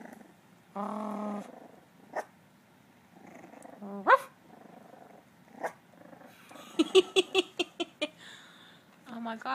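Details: Playful miniature dachshund puppies, three of them, trying to bark and growl indoors; buzzy harmonic growls and whines alternate with short sharp yips in a rapid run near the end, with a woman's voice.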